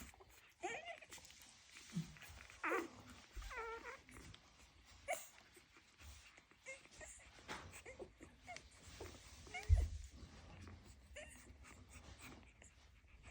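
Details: Dalmatian. Young Dalmatians give high, wavering whimpers and brief squeaky yelps, several voices overlapping in irregular bursts. A low indoor rumble and a few soft knocks run underneath.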